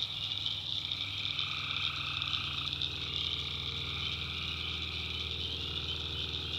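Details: North Carolina tree frogs at night form a steady, high-pitched trilling chorus while a mid-toned caller starts and stops. A deep rumbling hum runs beneath throughout.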